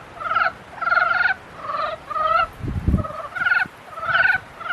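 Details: Mating-season frogs give rattling, harmonic croaks about half a second long, repeated roughly every half second in an uneven rhythm, with one low thump partway through.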